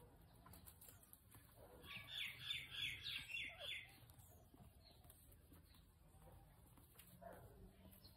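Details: Potato the guinea pig having nails clipped gives a run of shrill, pulsing squeaks, about five evenly spaced bursts in two seconds midway, with quiet rustling and faint handling noise before and after.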